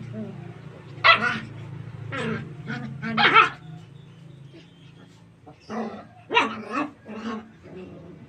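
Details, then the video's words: Golden retriever puppies at play in a cramped space, running and jumping; bursts of sharp, high yapping barks in small clusters, pausing between groups, over a low background hum. "puppies play in tight areas, run, jump n bark. cute puppy barking"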